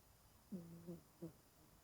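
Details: Low, harmonic, hum-like snoring comes from 20-year-old cat Genki-kun, sleeping deeply while curled up. One steady half-second snore is followed closely by a second, shorter one, with quiet indoor surroundings.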